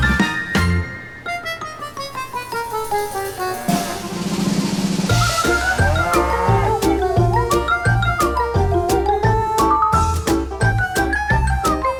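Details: Only music is heard, with a drum kit and melodic instruments and no animal sound.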